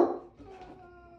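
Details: A spoiled Basset Hound complaining again for dinner gives a brief, loud grumbling complaint that trails into a thin, steady whine.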